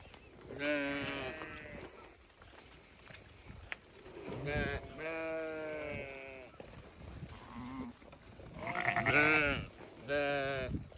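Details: Bleating of newborn lambs, a run of about six wavering, harmonic cries of roughly a second each, some higher and thinner than others, with a low hum and faint rustling in the background.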